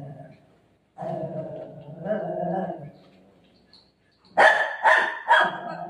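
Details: Golden retriever Milo at home, playing with his mom, who says he won't let her tie her hair; after a woman's talk and a low vocal murmur, three loud sharp barks come in quick succession near the end.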